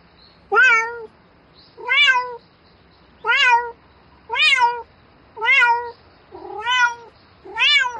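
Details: Calling for a mate at night, a domestic cat gives seven similar rising-then-falling meows in steady succession, roughly one every 1.2 seconds, each bright and harmonic against a quiet background.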